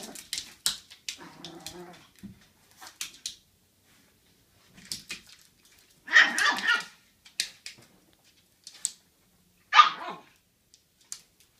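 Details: An old American Cocker Spaniel ignores a Chihuahua puppy as a dog lets out a few scattered sharp, bright barks, two loud ones about four seconds apart, with softer yips and rustling in between.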